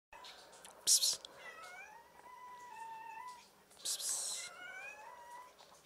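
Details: White female cat, angry at being touched, gives two drawn-out wavering yowls with rising and falling harmonics, each opened by a short harsh noisy burst like a hiss, in a quiet small room.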